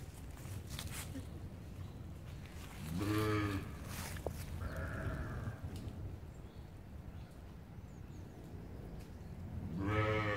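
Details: Sheep playing with a Boxador puppy gives two wavering, harmonic-rich bleats, one near three seconds in and another at the end, over a steady low rumble with a faint higher tone between.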